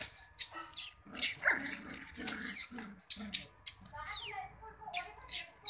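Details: Cocker Spaniel puppies yipping and whining almost nonstop, one thin whine sliding downward midway, with a human voice mixed in.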